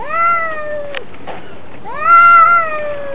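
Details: Domestic cats in a fight give two loud harmonic yowls, each rising quickly then sagging slowly, separated by a short gap with faint scuffling.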